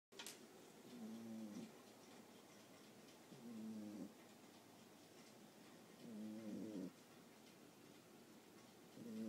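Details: Boxer puppy about 9.5 weeks old, fast asleep indoors with a microphone held close to her face: rough, throaty snores in four short bursts roughly every two and a half seconds, quiet room between breaths.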